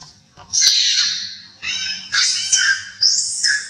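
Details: An old monkey that is hurt cries loudly with shrill, harmonic-rich screams. Each wail lasts about a second, with several long high cries in close succession and brief dips between them.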